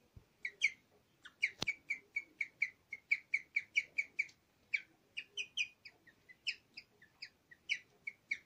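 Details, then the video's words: Guinea pig Nyusha, a pet who lived from summer 2015 to 31 October 2020, singing in her last recording: a long, steady run of high, twittering chirps, about three a second, with a brief pause before the run picks up again. "МОРСКАЯ СВИНКА ПОЕТ"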